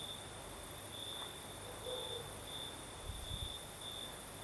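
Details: Crickets singing at night in the south of Crimea with a night breeze; a high, thin chirping trill comes in short intermittent bursts over a steady hiss, with soft low rumbling underneath.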